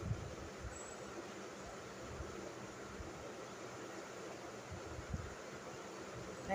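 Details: Steady hiss and low rumble, like wind or distant traffic, run throughout with a few soft knocks and no animal call.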